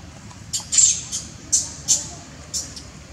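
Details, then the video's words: Baby monkey crying and acting spoiled when its mother won't let it suckle milk; sharp, high-pitched squealing cries come in short bursts, about six in three seconds, over a low rumbling background. "Baby crying and act as spoil baby monkey when mother not allow him to suckle the milk"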